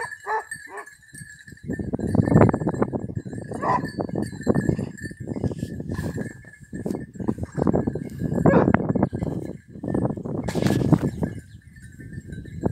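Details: Hounds, basset hound and beagle, trained on hare in Cyprus, give repeated clustered bouts of hoarse baying, each lasting one to two seconds, with short pauses between, against a constant thin high-pitched buzz.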